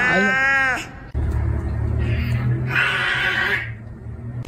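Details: Pet cat Mimi calling while hoping for food, a loud rising-falling harmonic meow followed by softer drawn-out vocal sounds, with room noise and voices behind.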